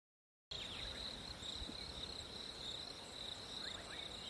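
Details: Crickets on a hot summer day: a steady, unbroken high trill after a brief silent start, with a fainter buzzing band above it and a few short bird chirps in the background.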